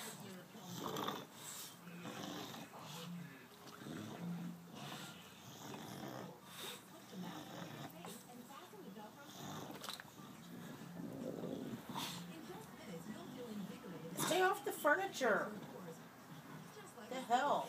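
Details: Betsy the Bulldog, a pet, snoring with soft, irregular rasping breaths that repeat steadily and mostly sit low and muffled, while a person talks to her nearby and a few sharper noises break in near the end.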